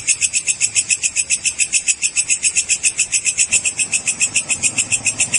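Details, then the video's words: A walang kerek cicada gives a high, harsh buzz pulsing steadily about three to four times a second, with a faint low rumble beneath. "SUARA WALANG KEREK"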